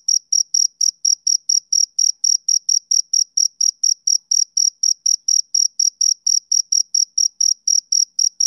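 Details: Male cricket chirping, a steady run of short, high, ringing pulses about three per second, evenly spaced and unbroken, with a faint thinner overtone above; no other sounds.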